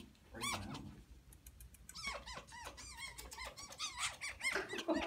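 A fennec fox gives a quick series of high, arching squeaks indoors.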